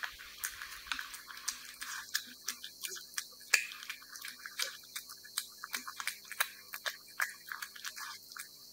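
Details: Steady wet smacking from a cat eating wet food, soft repeated clicks and licks at an irregular rhythm, with faint background hiss in a calm room.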